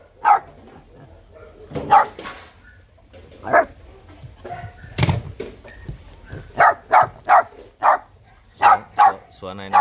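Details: H'Mong bobtail puppy, one of a litter of three, giving cheeky, provocative barks to stand out from its littermates. Scattered sharp yaps come singly at first, then in quick runs of two or three, mixed with people talking nearby.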